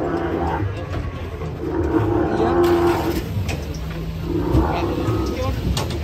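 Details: Sacrificial cow turning wild and rampaging as it comes down off a truck: low, drawn-out lowing bellows with a deep steady tone, rising twice over several seconds, mixed with men's excited shouting and crowd chatter outdoors.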